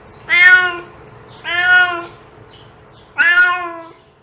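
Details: Cat meowing, offered as a sound to attract cats: three drawn-out harmonic meows, each under a second, spaced about 1.5 seconds apart over a faint steady hum.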